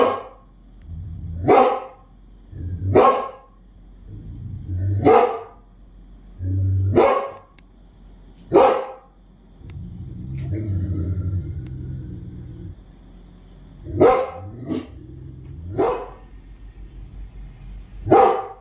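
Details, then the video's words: A Rottweiler barks at night in deep, sharp single woofs repeated every one to two seconds, reacting to the sound of crickets. "Dog Barking"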